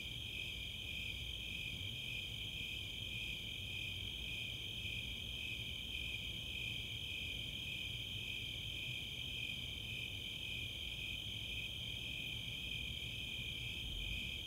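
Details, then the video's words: On a summer night in the open space of Chautauqua, Boulder, Colorado, a chorus of Snowy and Four-spotted Tree Crickets keeps up a constant, evenly pulsed high chirping, with a low murmur underneath. "Nighttime crickets"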